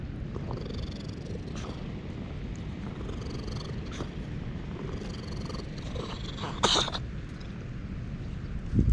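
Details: A stray ginger tabby cat purring while being petted, filmed on a GoPro HERO8. The purr is a steady, low, continuous rumble throughout, with faint rustling and a brief louder scrape near the end.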